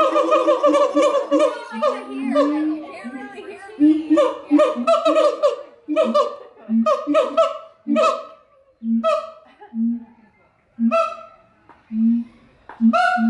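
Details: Siamangs sing at the Los Angeles Zoo in California: loud, ringing hoots and barks, some sliding upward, given in quick bursts with brief pauses.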